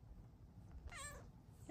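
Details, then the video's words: Bengal cat, a female lap cat asking to cuddle, gives one short rising-falling meow with bright harmonics, lasting about half a second, in a quiet indoor room with low background hum. "Lap kitty asks to cuddle with her NICEST meows!"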